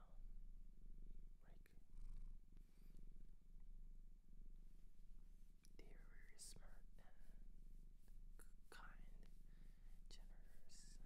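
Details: Domestic cat adopted from a shelter in Japan, purring close up: a steady, low, even rumble running through the whole stretch, with soft human whispering and scattered light clicks and rustles above it.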